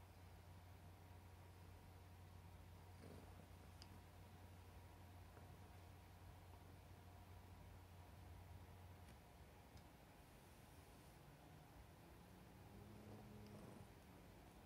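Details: Domestic cat being affectionate toward its beloved papa, purring in a low steady drone for about nine seconds before it stops, followed by soft handling noises and faint clicks in a small room.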